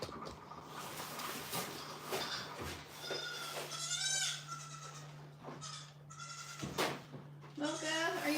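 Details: Young goat kids on a home farm, about to be bottle-fed milk, give several high, wavering bleats with bright harmonics near the middle and end, mixed with a person talking, light background music and a steady low hum.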